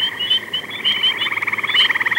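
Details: A gray treefrog, often calling from treetops in late spring or summer, gives a fast, musical pulsed trill often mistaken for a bird.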